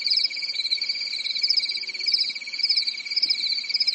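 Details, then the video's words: Many crickets chirping together on a calm summer night in Europe, a high-pitched pulsing trill with a slow swell and fade roughly every second over a steady lower whine. "Grillen zirpen in der Nacht"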